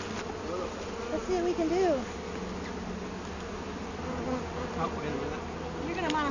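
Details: Honey bees around comb from a hive found in a felled tree, left outside for the bees to clean out: many-bee drone with individual bees flying close by in wavering, rising and falling whines, over a low steady rumble.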